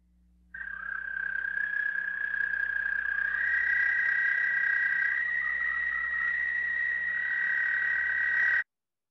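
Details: An American toad (Anaxyrus americanus) from Michigan gives a long, steady, high musical trill in spring, holding one pitch without pause; a long trill marks this species rather than tree frogs.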